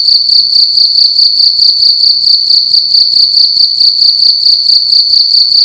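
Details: Cricket making loud noise indoors during the night: a sharp, high, rapidly pulsing chirp that repeats evenly and never pauses, with the background otherwise quiet.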